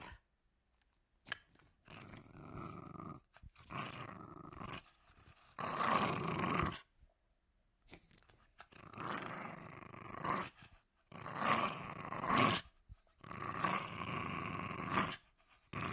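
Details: Jack Russell Terrier giving a run of low, rasping growls in five or six sustained bursts of one to two seconds each, separated by short pauses and breaths, indoors with little background noise.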